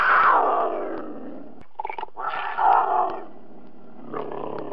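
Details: Cougar letting out a loud descending yowling snarl, then a pause, a short rasping burst and more throaty growls fading lower toward the end.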